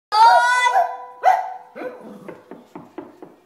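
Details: Boston Terrier gives drawn-out, moo-like wailing notes, then a run of short, clipped yips, reacting to the sound of knocking on the door; Boston Terrier.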